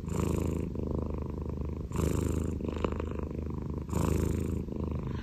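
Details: Domestic Scottish cat with upright ears purrs continuously, a deep vibrating drone with stronger surges near each two-second breath, then softer stretches between them.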